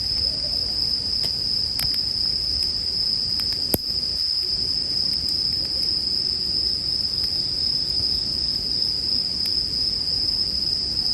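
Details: Unbroken shrill ringing of bell crickets sits over soft campfire hiss, with a few loud pops and snaps from the burning wood, intended as soothing sleep background sound.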